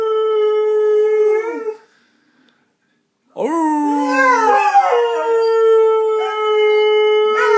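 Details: Saluki, a pet dog, singing along in long howls: one steady tone fading out, a silent gap, then a new howl that swoops upward, quavers, and levels into a long even note.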